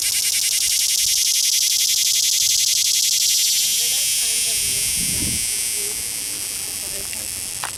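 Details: Cicada caught at Longwood Gardens, Pennsylvania, a daytime singer making its fuzzy song by rubbing its right wing against the ridged left wing while wagging its tail; loud, harsh, rapidly pulsed buzz, steady at first, then fading and thinning toward the end.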